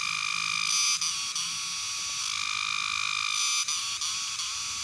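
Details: Cicada. A cicada calls with an intense, shrill buzz that runs almost without a break. The rasping drone swells slightly and drops off for an instant a few times before resuming.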